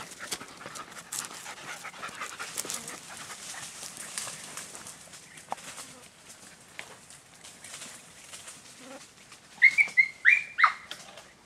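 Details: An Andalusian Hound at Baños de la Encina, Jaén, Spain, gives a quick burst of high, sharp yelping barks after a stretch of rustling.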